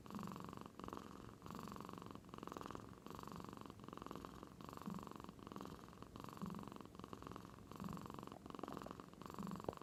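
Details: Sleeping house cat in Aichi, Japan, in deep slumber, making a snore-like rumble resembling a man's snoring. Rhythmic throaty breathing about every one and a half seconds, with a soft low murmur between breaths. Nothing else intrudes.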